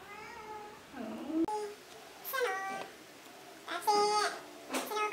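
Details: A kitten gives several clear, harmonic meows, some rising and some drawn out, spread across the clip and mixed with a person talking nearby.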